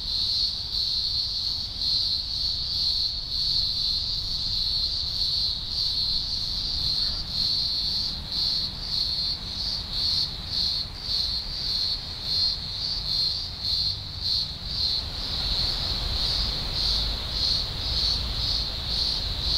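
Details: Deafening chorus of thousands of green grocer cicadas at a large emergence, Blue Mountains, Australia, early October 2020; high shrill buzz throbbing rapidly in uneven pulses, with low background rumble growing near the end.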